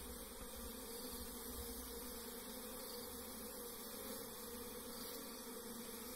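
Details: Constant, thick buzzing of many wild forest bees disturbed during a bare-handed honey harvest, unbroken and steady in loudness from start to finish.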